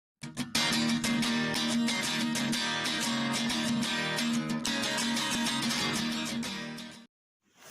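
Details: Strummed guitar music plays throughout, with no animal sound heard. The playing stops abruptly near the end.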